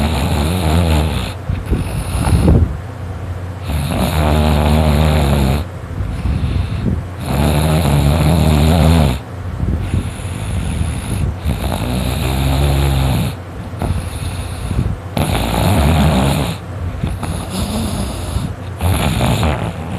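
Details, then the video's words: Sleeping male dog Dakota snoring very loudly: heavy, low, rattling breaths come in repeated drawn-out surges, each a second or two long, broken by short pauses between inhalations. "Dakota snores really really LOUD!!!!!!"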